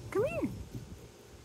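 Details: Miniature Australian Shepherd puppies romping outdoors on a Wednesday morning; one arched, whining yelp rises then falls, with a softer trailing note and faint outdoor background.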